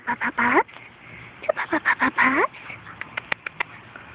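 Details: Puppies four and a half weeks old, from Fergie and Bosco, on their first outing outdoors with their mother Fergie and half sister Miley; two bursts of short, whiny, bending whimpers and yelps, followed by a few sharp clicks.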